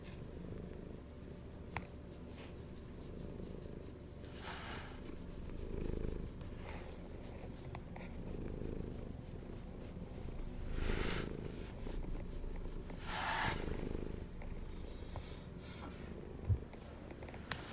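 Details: A hungry pet cat purring steadily indoors: a low, continuous rumbling purr that swells louder every two to three seconds with each breath, with a faint soft click near the end.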